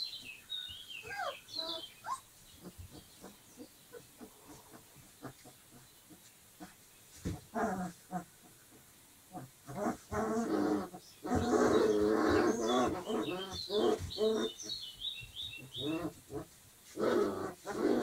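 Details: Twenty-five-day-old Dogo Argentino puppies give thin, squeaky whines at first, then louder, rougher bursts of overlapping squeals and grunting cries, broken by short pauses.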